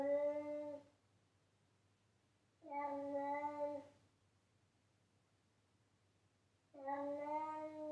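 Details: A pet cat meows loudly in three clear, harmonic calls about a second long, spaced roughly three seconds apart against quiet low hum.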